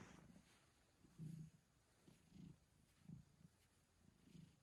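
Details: Domestic cat hiccuping while purring: a soft, low rumble broken by faint, deep pulses that come roughly once a second, all very quiet and close.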